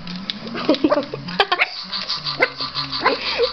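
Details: Small Yorkie puppy Lulu barking at a robot dog toy she does not like; a handful of quick, clipped barks and yips spaced through the clip over the toy's steady electronic hum and faint music.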